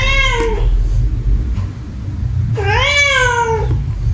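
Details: Domestic cat meowing, said to be angry at another cat, indoors: two long drawn-out meows, the second rising then slowly falling, separated by a pause of about two seconds, over a low steady background hum.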